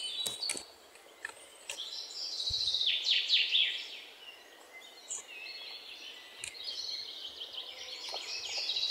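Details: Indian palm squirrel giving bursts of rapid, high chirps, a dense run of sharp notes in the middle then scattered shorter chips toward the end, over a steady hiss of outdoor background noise.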